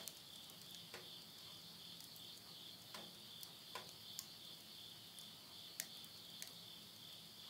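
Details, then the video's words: Midnight insect voices at summer's end in rural Tottori, Japan, September 2020, a ceaseless high buzzing hum overlaid by frequent crackles and popping of firewood burning in a stove. "the voice of insects"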